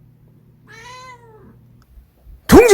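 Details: Munchkin cat indoors giving one drawn-out meow of about half a second, harmonic-rich and slightly falling at the end, followed by a sudden loud burst of a person's voice.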